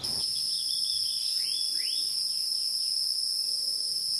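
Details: Wild insects hum in a steady, high-pitched double drone that never breaks, with a few faint rising bird chirps in the background.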